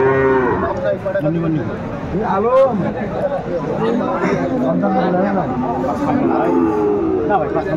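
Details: Sahiwal bulls at the Aftabganj market in Dinajpur, Bangladesh, 28 January 2025. Several short, arched bellows overlap one another amid constant haggling voices and busy crowd hubbub.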